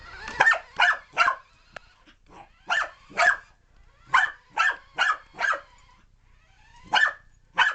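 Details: Puppy barking wildly while chasing a remote control car: sharp, high yapping barks in quick bursts of two to four, about eleven in all with short pauses between groups.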